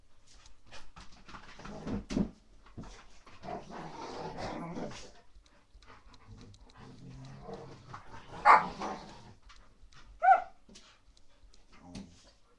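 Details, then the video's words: Young Rottweiler puppy in a frantic play session indoors, low growling and scuffling noises followed by two sharp, loud barks near the end, with a person calling in the background. "Baby Rottweiler Lea On A Mad 5 minutes Session"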